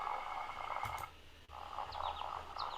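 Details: Leopard frogs singing in spring in a large open marsh with lots of water: low, rattling, snore-like pulses under a steady higher frog chorus, with a few short rising whistled notes above.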